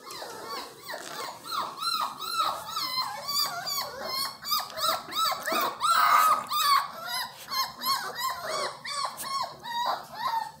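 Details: Several Miniature Australian Shepherd puppies crying together in a small room, a dense continuous chorus of high wavering whines and yelps that rise and fall in pulses, overlapping throughout.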